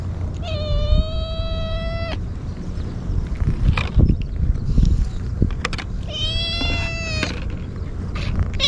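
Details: Hungry stray kitten wolfing down Churu and Sheba, crying nonstop: two long, steady, strongly harmonic meows, each about one and a half seconds, separated by clattering and low rumbling noise.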